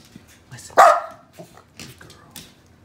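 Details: A pet Shetland Sheepdog, told to speak for pancakes indoors, gives one sharp, loud bark right after a person's command, followed by quieter human voices and small household sounds.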